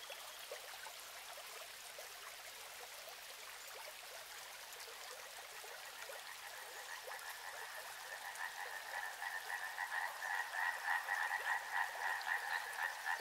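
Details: Frogs by a river: flowing, trickling water dominates at first, then a chorus of pulsed croaking trills swells in after about eight seconds, growing louder and more regular, with rapid beats several times per second until the end.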